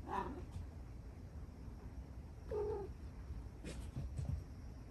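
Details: Domestic cat indoors on a stormy night of play-fighting: two brief low meows, one at the start and a moaning one near two and a half seconds, against rain noise and faint knocks.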